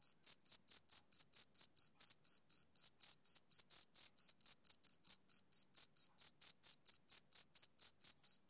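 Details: Male cricket calling in an unlooped summer-evening ambience, shrill short chirps at a regular beat near four per second, a thin higher tone riding above each one, otherwise quiet.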